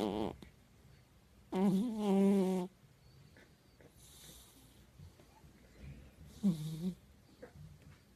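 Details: A sleeping domestic cat snoring: two throaty, buzzy snores about five seconds apart, the first lasting about a second, with near silence and faint room noise between them.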